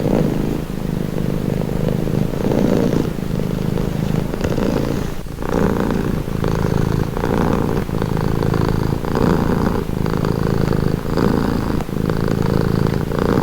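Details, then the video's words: Low vibrating purr from a cat, smooth for the first few seconds, then falling into clear alternating inhale and exhale phases roughly every second, with slight nasal hiss riding above the rumble. "Purring cat"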